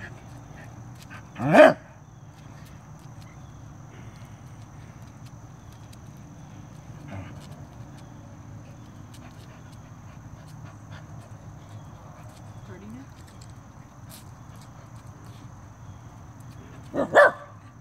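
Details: Two isolated, sharp barks from Arthur the Corgi, one near the start and one near the end, confronting a stink bug, with long stretches of quiet low hum and faint noises between them.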